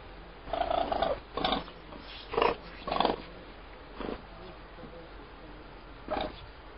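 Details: A pet raccoon living at a husky kennel in Altai purrs in short, soft, rumbling bursts separated by brief pauses.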